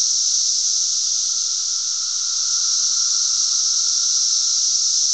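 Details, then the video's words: Cicadas recorded on June 10, 2007 in Glen Ellyn, Illinois, making a lot of noise: a loud, dense, continuous high-pitched droning hiss from many insects, steady throughout with a faint lower whine beneath. "cicadas making a lotta noise."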